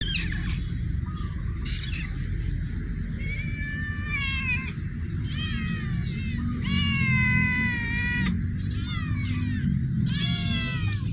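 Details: Cats in a warehouse making repeated meows and drawn-out caterwauling calls, several harmonic rising-then-falling cries overlapping through the stretch, over a constant low rumble and a steady high electrical whine.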